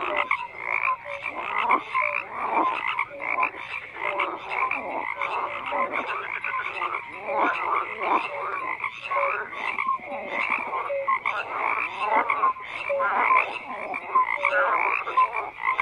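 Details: A thick frog chorus of many callers, rapid rattling croaks stacked over one another with brief whistled notes scattered through, unbroken and even in loudness throughout a long ambient soundscape.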